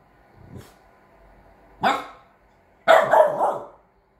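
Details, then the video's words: Three-month-old Chow Chow cross French Bulldog puppy acting as a guard dog, giving a soft low woof, then a sharp single bark, then a longer rough, growly bark burst. "chow chow x french bulldog born 12/08/21 playing guard dog at 3 month old"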